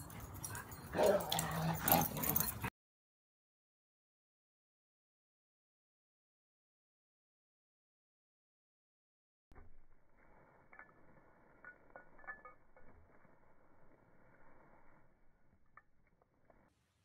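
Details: Golden retriever at home, among playful pet dogs: a loud burst of mixed noise, then a silent gap, then quiet, thin, high whimpering and short yips with faint clicks and rustling.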